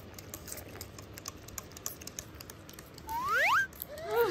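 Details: Sakura, a female pet otter, being babied by her owner: light tapping patters for three seconds, then a loud squeal sweeps steeply upward, and a shorter, falling squeak follows.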